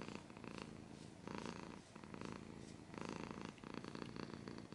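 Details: Close purr of a cat alongside scratching: deep pulsed rumble in clear inhale-exhale phases roughly every second, with brief gaps and rustling scratch noise on top.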